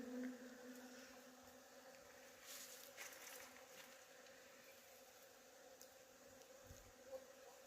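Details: Honey bees buzzing while feeding at a plum tree in full bloom: a steady, low droning hum with layered tonal bands, fairly quiet, with faint hiss above and a few soft knocks.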